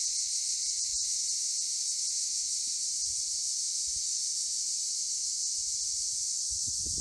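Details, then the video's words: Chorus of cicadas at Akamas National Park in Cyprus: an unbroken, shrill electric buzz holding level from start to finish, with faint low rumbles near the end. "Cicadas in Akamas National Park in CYPRUS"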